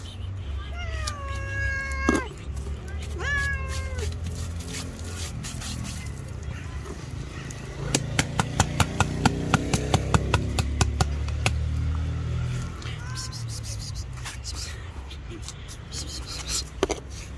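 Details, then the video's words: Angry white female cat, described as jealous, lets out two drawn-out meows that bend downward and then level off. A rapid run of sharp clicks follows, with low rumbling background and a final faint, short meow. "Angry White Cat.😾She is the World's most Psycho, Maniac, Jealous and Terrorist Cat."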